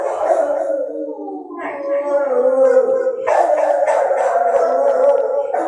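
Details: Dog howling at night, a sustained harmonic howl that steps upward, then a second, stronger voice joins and holds a steady wavering tone.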